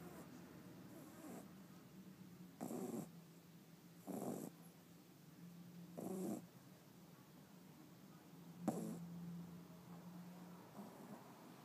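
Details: A sleeping 5-month-old Shih Tzu puppy snores in short raspy bursts at uneven intervals of about one and a half to two and a half seconds, with a faint low hum running underneath.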